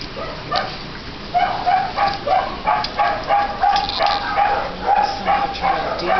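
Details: Elderly rescued miniature poodle named Sirius, with matting embedded in his lower jaw, trying to drink: a series of short, tonal squeaking notes at a steady pitch, about three a second, with faint background noise.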